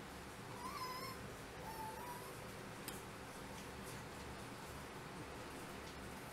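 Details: Black mini toy Chihuahua named Fuego gives two short, high whines with faint harmonics. The first wavers and then levels off; the second is flatter and lifts at its end. Steady background hiss runs underneath.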